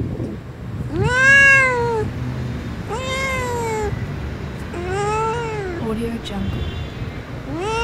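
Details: Blue-eyed little kitten outdoors in nature meowing four times, each call a clear arching, slightly whiny meow about a second long, spaced roughly two seconds apart, over a faint low steady background hum.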